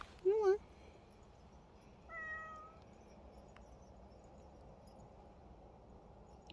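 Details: Bobae, a pet cat described as very dog-like, gives one short, loud, wavering meow. A faint, thin tone and quiet background follow.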